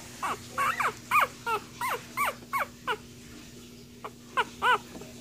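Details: One-week-old Cocker Spaniel puppies give thin, high squeaks and whimpers, several each second, over a faint steady hum.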